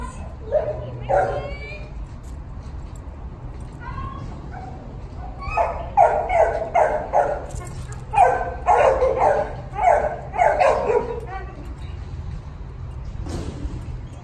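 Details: A puppy gives scattered yips early on, then a run of rapid, bright barks in the middle stretch. Low steady hum throughout, with a final lone bark near the end.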